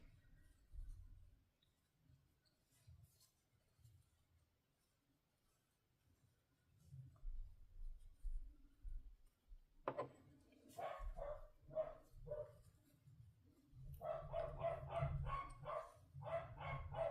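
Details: Dolly, a fluffy corgi, barking downstairs indoors, apparently over something she wants, probably a sock. Quiet, muffled room at first, then sharp barks break out after ten seconds and come in a quick repeated series near the end.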